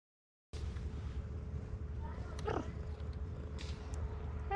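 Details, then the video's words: Cherry, a stray cat in Istanbul, purring loudly while eating after meowing for food; a steady, low rumbling purr fills the whole stretch, with a brief faint high chirp partway through and light eating noises. "Cherry cat purrs loudly even while eating"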